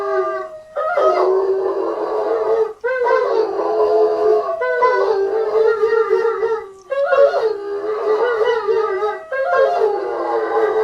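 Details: German Shepherds in Brownsville, Texas, about a mile from a hospital, howl at ambulance and emergency sirens in long, wavering bouts with breaks between rising and falling phrases; one bout around nine in the evening.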